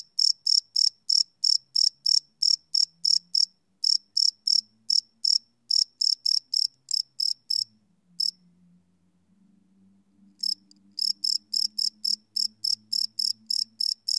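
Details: Crickets at night recorded live on a Sony PCM D100: rapid high chirps that falter, stop for about two seconds, then resume, with a faint low hum underneath.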